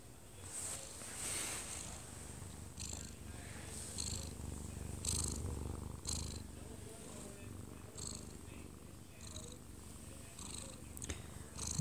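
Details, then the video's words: Odd-eyed Munchkin cat, one year and two months old, dozing in its owner's arms, recorded close up; a low pulsing purr rises and falls with slow breaths, with a television faintly audible behind. "아빠 품에서 자는 꼬부기 골골이 - 1살+2개월 오드아이 먼치킨 고양이"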